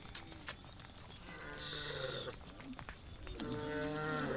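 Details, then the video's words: Cattle being herded through a muddy rice field toward a livestock pen; a low, drawn-out harmonic moo swells near the end, over a steady hiss of outdoor noise. "Funny Cow Sounds"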